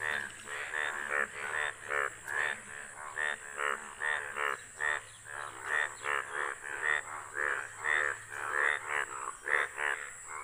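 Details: Breeding chorus of many yellow Indian bullfrogs out for mating before a house: rapid, rasping, pulsed croaks overlap in waves, two or three per second, swelling and fading, a low steady hum in the background.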